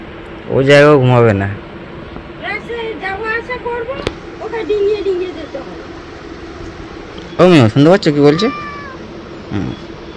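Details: Angry domestic cat protesting while being bathed: a loud, drawn-out, wavering yowl near the start and another pair of harsh yowls later, with human talking in between and a steady background hum.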